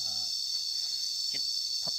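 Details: Continuous shrill cicada drone, even and high, recorded on a relaxed walk outdoors in Cambodia; only a brief snatch of a voice at the start and two faint clicks break the buzzing.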